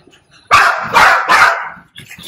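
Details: Puppy, one of two mastiff-type bully puppies, at home during removal of ear-cropping stitches: three loud, harsh barks in quick succession about half a second apart, followed by a few softer, quieter sounds.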